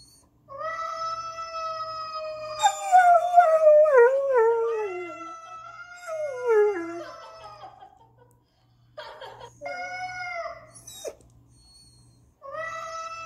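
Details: Spencer the Irish Setter reacts to footage of a yelling cat with a drawn-out steady howl, followed by quavering downward-sliding cries, short pauses, and renewed shorter howls near the end.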